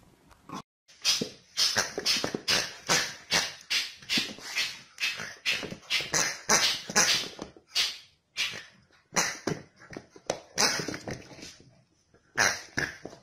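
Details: Corgi dog giving a rapid run of sharp, harsh barks, roughly two per second, bright and broadband, with short pauses near the middle and end.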